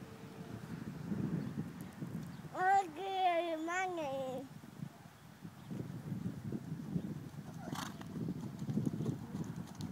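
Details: Six-year-old chestnut Section E Welsh Pony gelding, green broken and a little nervous, gives one wavering whinny lasting about two seconds; hoof clip-clops and low background noise before and after.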